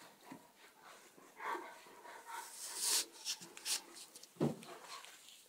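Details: Border collie attacking, alongside a Czechoslovakian wolfdog: bright snapping bursts and brief yelp-like cries clustered in the second half, over a faint background of human voices.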